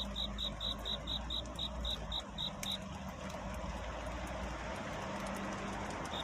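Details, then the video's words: Cricket courtship song on a night toward dawn, sung while seeking a mate: rapid high chirps in a steady train lasting under three seconds, then near silence from the insect, with a constant low hum and faint distant noise underneath. "귀뚜라미 울음소리. 슬퍼 말아요 우는 것이 아니라 사랑을 찾는 노래랍니다"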